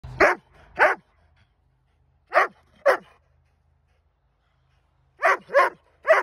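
A Dobermann gives loud, deep barks in pairs, with short pauses between each burst.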